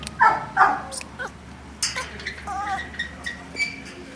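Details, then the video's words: Boston Terrier at a kennel in Jamundí, Cali, Colombia, gives two loud, sharp barks, followed by a string of softer, higher yips and whimpers over steady background hum. "Boston Terrier"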